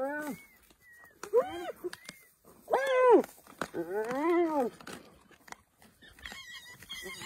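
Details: Wild African spotted hyena giving a handful of arched, harmonic yelping calls that rise and fall in quick bursts, separated by short silences, with a few faint higher squeals near the end.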